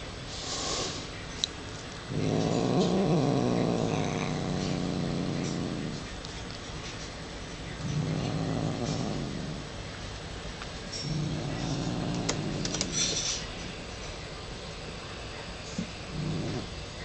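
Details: Cat that turns moody and attacks when petted, producing long low growls in three drawn-out swells of several seconds each, separated by quieter pauses.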